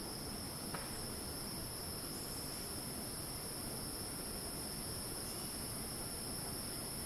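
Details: Cicada screeching in the rainforest of Ton Pariwat wildlife sanctuary, north of Phang-Nga, Thailand: a steady, unbroken high-pitched hiss that holds level throughout, over a constant low rumble of forest ambience.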